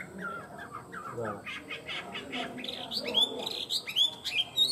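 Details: Tame caged Chinese hwamei singing: soft voices and muffled sounds at first, then loud clear upslurred whistles repeated in quick succession, growing stronger toward the end.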